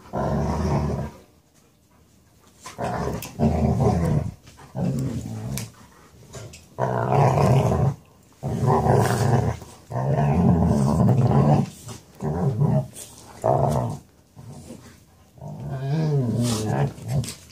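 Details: Seneca and another male dog wrestling inside to settle couch rights, Seneca very grumbly; repeated deep rumbling growls in bursts of one to two seconds with short quiet gaps, some rising into throaty snarls near the end.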